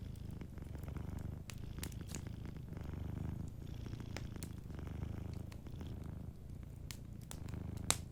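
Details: A sleeping cat purrs gently and evenly, low throbbing rumble swelling and easing in cycles, accompanied by light crackling and a few louder pops from a nearby fireplace.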